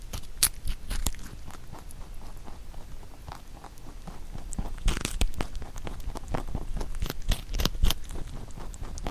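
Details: A pet bunny named Huchu munches a carrot shaped into songpyeon for the Chuseok holiday. Rapid, uneven crunches and gnawing clicks come close together, with louder bursts of biting midway and toward the end.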